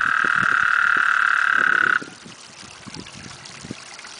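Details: Loud breeding chorus of eight toads mating in a backyard pond in summer: a sustained, even, high-pitched trill for two seconds that stops abruptly, followed by soft splashing and dripping water.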